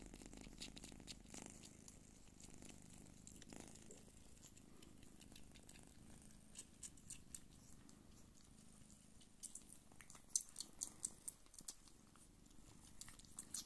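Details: Hairless Don Sphynx mother cat nursing kittens: continuous low purring hum with a pulsing texture, joined by irregular faint clicks and small rustles that grow busier toward the end.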